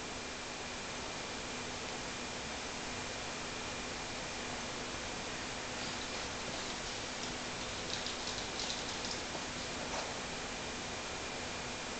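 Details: Steady broadband hiss with a faint constant low hum and a few soft rustles near the end, with no animal voice.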